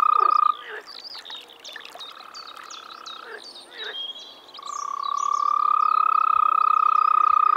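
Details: Frogs calling in spring at a pond or wetland in the Czech Republic: a loud, steady, unbroken mid-pitched trill opens and closes the recording, with quieter rapid croaking pulses and faint high bird chirps between.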